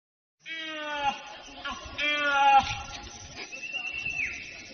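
A proboscis monkey gives drawn-out, nasal, bleating calls rich in harmonics.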